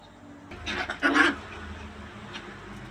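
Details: Playful puppies in a tight space, running and jumping; a short burst of high yelping barks near the middle, then quiet room noise.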